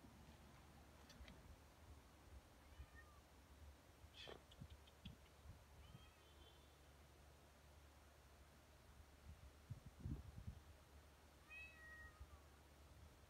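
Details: Domestic cat meowing: a few faint, short meows with rising then falling pitch, spaced several seconds apart over a steady low rumble, with occasional knocks and clicks.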